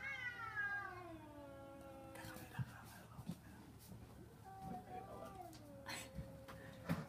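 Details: Cats fighting over a garbage container in London: a descending, drawn-out wail opens, then a lower moaning tone follows among scattered knocks and clattering sounds.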